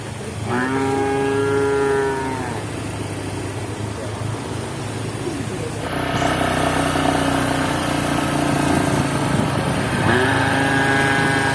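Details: Cows running and walking, one giving a long, flat, harmonic moo lasting about two seconds, then another starting near the end, over loud rumbling engine-like noise.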